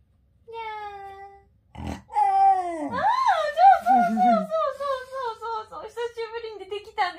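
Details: Komugi, a Shiba Inu, producing meow-like "nya" vocalizations at home: a steady opening note, then a series of wobbly, sliding whines with swooping pitch, a brief low rumble partway through, and human voices in the background.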